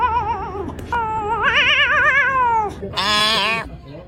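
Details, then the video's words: A cat gives odd, drawn-out wavering meows. A long, warbling tone holds a steady pitch, then a louder, higher and shorter rising cry follows near the end. Faint background noise runs throughout. "Ranking cats making weird sounds"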